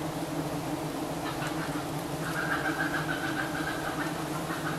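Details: Giant honey bees drone steadily around their nest while Thai honey hunters harvest it. The deep, even hum carries on without pause, with a faint higher hiss above it.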